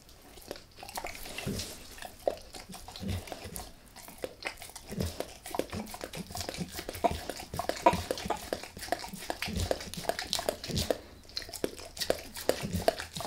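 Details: Dog named Max working on a beef rib in a small room, no talking; dense, steady run of sharp crunching and gnawing clicks with wet licking between bites, fairly even in loudness throughout.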